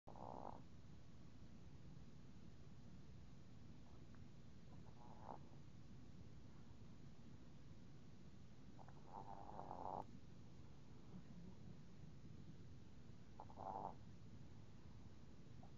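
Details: Yorkshire terrier named Mannie sleeping soundly after running in circles all day, snoring in soft nasal bursts roughly every four to five seconds, with a low steady background hum between breaths.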